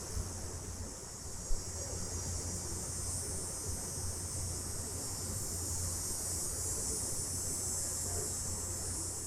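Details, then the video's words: Summer cicadas calling at night, recorded in stereo: a steady, dense, high-pitched hiss that holds unbroken from start to finish over a low, constant background hum. "Cicadas At Night Sound Effect"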